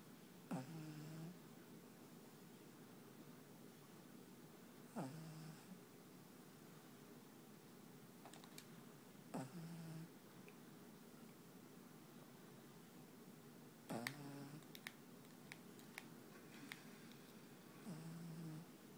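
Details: Sleeping black pug named Panpan snores steadily, each breath a brief rasping snort ending in a low whistled note, repeating about every four to five seconds in a quiet room.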